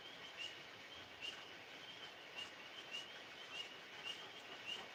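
Tree frogs chorus at night, a steady high trill with short chirps repeating about once a second.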